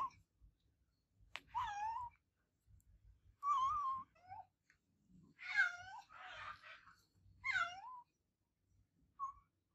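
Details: Adopted cat giving loud, repeated meows, each a drawn-out wavering cry roughly every two seconds, some rising then falling, with faint taps and rustles between calls.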